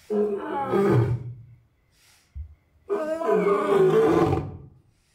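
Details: Six-year-old male lion in a zoo enclosure at Asahiyama Zoo, Japan, standing alone in the big-cat house with mate and cubs absent, 10 May 2024; two long, deep, harmonic roars, the second swelling louder, with a brief low grunt between.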